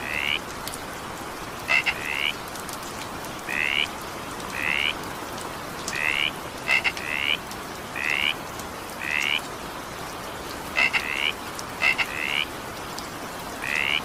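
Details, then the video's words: Frog calling during evening rain: short rising harmonic croaks, often a quick double note followed by a longer rising one, repeated every second or so over a steady hiss of falling rain. "20 minutes evening rain sound effect with frog sound."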